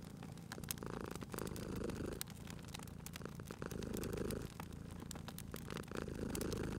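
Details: Domestic cat purring beside a crackling fireplace, a low steady rumble rising and falling in long breathing cycles about every two seconds, with sharp crackles and pops of burning fire scattered throughout.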